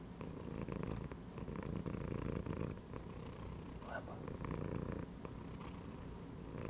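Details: Pet cat chilling inside a gym belt purrs in a low, even rumble that pulses with each breath in and out, with a soft brief chirp-like sound in the middle.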